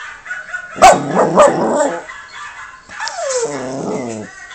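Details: Yorkshire Terrier indoors, answering other dogs in videos playing on a monitor: a loud sharp bark burst with rough follow-up yaps, then a pause and a drawn-out descending whine with rich harmonics.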